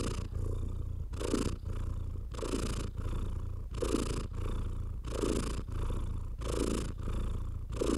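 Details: Pet cat purring under a stroking hand. A low, even rumble continues throughout, and each inhalation brings a slightly raspy swell, with fur-rubbing noises about every second.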